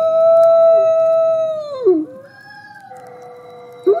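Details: Nikai, a captive-born male gray wolf at the Wolf Conservation Center in South Salem, New York, howls in the snow: a long, steady howl sliding down at the end, then another howl.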